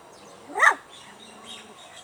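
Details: Hungry puppies crying for their mother and craving milk and food: one short high whine that rises and falls sharply, with faint whimpers and quiet background after it.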